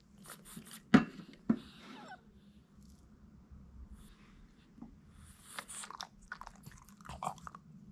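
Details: A Boston Terrier chews noisily on hard little duck-bone treats, hard to break, giving sharp crunches and softer wet smacking at uneven intervals over a low, steady hum.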